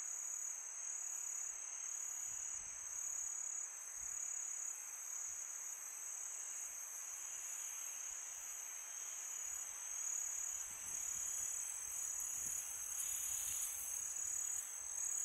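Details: Crickets on a peaceful summer night, many insects together making a steady, unbroken high-pitched trill that never pauses, with a second fainter band above it. A soft breathy wind hiss runs underneath, swelling slightly near the end.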